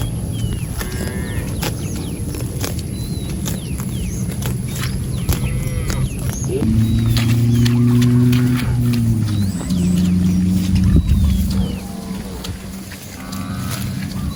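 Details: Cattle roaming and grazing in a rice field: one long, deep, drawn-out moo of about four seconds dominates the middle, with fainter higher calls and chirping birds before and after.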